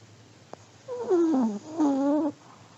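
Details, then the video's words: An old Pomeranian dog asleep, letting out two whistled snoring breaths: the first slides downward in pitch, the second holds a steady nasal tone, with a soft click just before and a quiet room around. "(sleeping dog snoring) 睡眠用おじじポメのイビキ"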